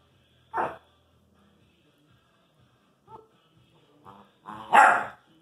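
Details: Irish Wolfhound puppy talking to his brother: one short bark, then faint soft whines, ending in a louder drawn-out bark-howl.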